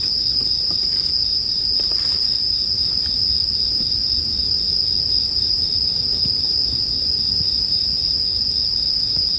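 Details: Bell cricket chorus, mixed as sleep background sound with a campfire: a steady, unbroken high ringing trill runs throughout, with soft crackles and pops from the burning fire underneath.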